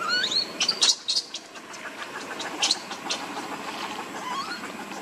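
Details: Pitiful baby monkey Lucie begging for milk: high, thin squeals and chirps in quick bursts at the start and around the middle, softer trailing cries later, with a constant background hiss.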